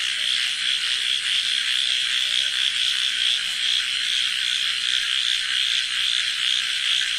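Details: Frogs croaking together at night in a village, loud enough to hurt the ears: an unbroken, buzzing mass of fast, overlapping pulsed calls that holds at the same intensity from start to finish.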